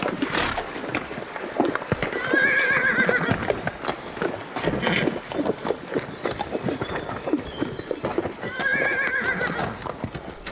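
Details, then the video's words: Horses neighing: two shaky, descending whinnies, one near the second second and another near the ninth, between bursts of low thudding that may be hooves moving. "Жылқының дауысы / Звуки лошади / ржание коня / голос лошади / Horse sounds"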